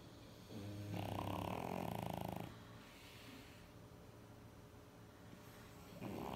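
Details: Sleeping French Bulldogs, three dogs, snoring indoors: a loud, droning, buzzy snore lasts about a second and a half, then fades to soft raspy breathing, with another snore starting at the end.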